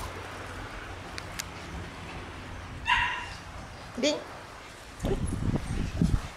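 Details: Shiba Inu puppies at outdoor play. One sharp, bright yip comes midway, followed by a short rising squeal, then scuffling and rustling noise to the end.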